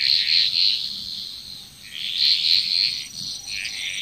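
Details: Bali, Indonesia frog chorus with rapid, continuous rattling croaks from several frogs blending into a dense churring wash, a faint steady insect whine above.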